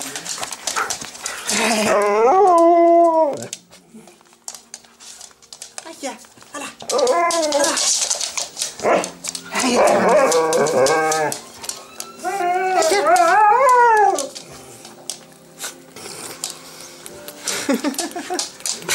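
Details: Excited huskies greeting their owner on his return after a week away. They give long, wavering, yodel-like howling calls that rise and fall in pitch, in several bouts, mixed with Dutch speech and household clatter.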